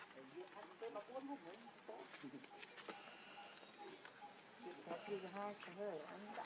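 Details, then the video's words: Hungry baby monkey Lucie begging for milk with wobbling, quavering cries in quick bursts, while a bird gives a short rising whistle roughly every two seconds in the background. "Lucie Very Hungry Milk I Lovely Cute Baby Monkey"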